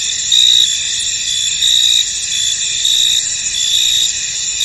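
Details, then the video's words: Crickets chirping in a fog-shrouded field, a constant thin high-pitched buzz of many insects with a few stronger pulsed chirps standing out at intervals of about a second and a half. "Tranquil Cricket Sounds In An Misty Field"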